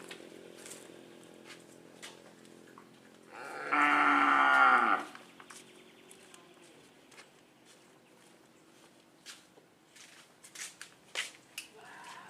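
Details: Madura cattle during karapan sapi bull race training on Madura island, East Java, Indonesia: one loud, bright moo rich in harmonics lasts about a second and a half midway, with faint voices and clatter before and after.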